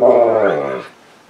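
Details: A brief, loud, harmonic whine from Misha, a female Saint Bernard seeking attention on the couch, holding steady then fading out after under a second.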